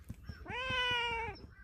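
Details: Friendly stray cat often seen at a workplace, rolling onto its back to offer its belly and asking to be petted, gives one long, clear, steady meow lasting under a second that tails off slightly, with faint soft tapping in the background.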